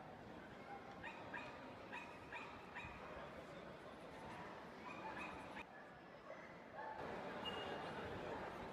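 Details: Black male Miniature Schnauzers at the Bundessieger dog show in Dortmund, Germany, on 17 October 2015: quick bursts of sharp barks in the first seconds over a loud hall murmur of voices and crowd noise.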